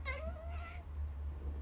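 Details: Siberian cat talking while sunbathing, giving two clear tonal meows, the first rising then sliding down, the second shorter and flatter, over a steady low hum and a woman speaking Russian nearby.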